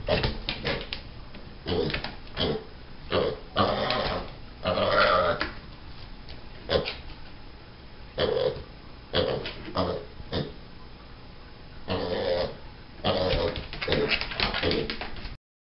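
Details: Sherman, a pet pig, protesting when he doesn't get what he wants: harsh, rasping, growl-like bursts, some short and some drawn out, coming in irregular volleys for about fifteen seconds, heard indoors.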